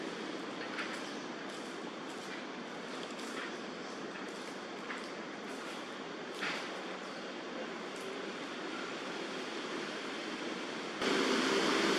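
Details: Steady broadband rumble of traffic or a passing train, with faint clicks and a louder burst of noise near the end; no animal calls stand out.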